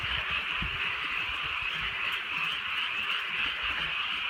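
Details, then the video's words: Frogs calling on a rainy countryside night under light drizzle: a dense, continuous chorus of rapid, overlapping trilling croaks that forms a steady high wall of sound, with soft patter and low rumbles beneath. "개구리 소리"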